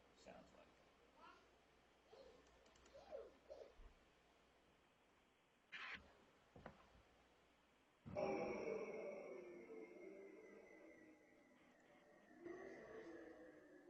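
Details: A recorded seal, played during an Alaska lecture on the ocean just before walrus sounds, gives long underwater calls with slowly descending tones, heard after a stretch of speech.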